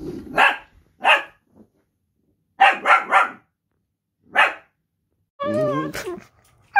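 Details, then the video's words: Pet Dachshunds talking during rough and tumble play: a run of sharp, noisy barks, some in quick pairs and triples, then a wavering, whiny yodel-like vocalisation near the end. "Dachshunds talking"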